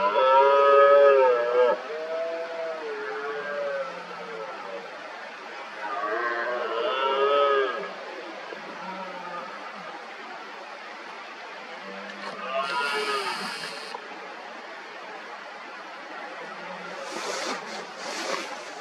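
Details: Red deer stags in the 2023 rut, several rivals working each other up: one strong moaning roar opens, then fainter distant roars overlap over a rough background, with brief hissing bursts later.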